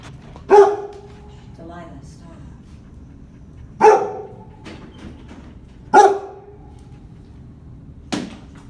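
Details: In his kennel, Jojo the Labrador Retriever gives three single, ringing barks about two to three seconds apart, each with a short tonal tail, followed by a fainter sharp sound.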